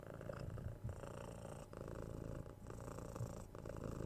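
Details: Six-month-old kitten purring while being cuddled, patted and given head scratches indoors; a steady low rumble with brief dips near the second and third seconds as the cat breathes.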